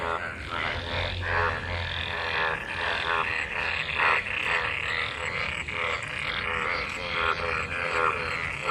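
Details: Many frogs calling together in rainwater pooled after monsoon rain, gathered to mate: a dense, continuous chorus of overlapping pulsed croaks with a raspy, harmonic buzz, no single caller standing out.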